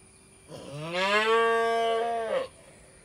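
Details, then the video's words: Calf in an Indian village giving a single drawn-out moo about two seconds long, harmonic and steady, rising at the start and dropping at the end, over a quiet background with a faint constant hum. "Cute Baby cow sound"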